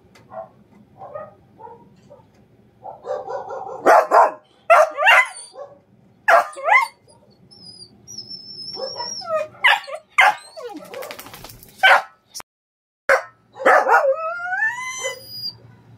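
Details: A dog reacting to a neighbour's dog barking gives sharp, harmonic barks and yips in short bursts, while a person between them tells it to stop barking.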